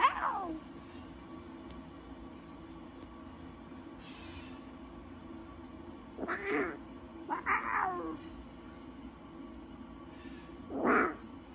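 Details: Newborn lion cubs at Taigan, giving short, sliding, meow-like mews: one at the start, two close together mid-clip and a louder one near the end, with quiet indoor hum between.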